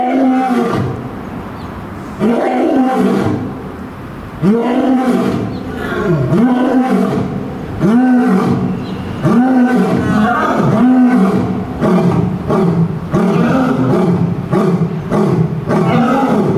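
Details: Male lion Gaou and female Luna roar at Tennoji Zoo, the female joining in answer to the male. Over a dozen deep grunting roars follow each other about a second apart. Each one swells and then drops in pitch.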